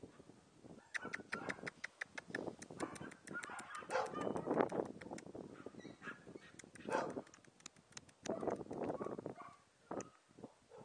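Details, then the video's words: Papillon mother Emy with her puppies: a busy, almost continuous run of squeaky yelps and whimpers rising and falling over the whole stretch, broken by many sharp clicks and taps. "Emy et ses petits papillon Puppies"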